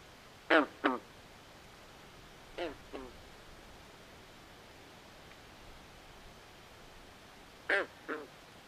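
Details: Frogs in a nighttime swamp giving paired, raspy quacking croaks, three pairs spread across the stretch against a quiet hissing backdrop.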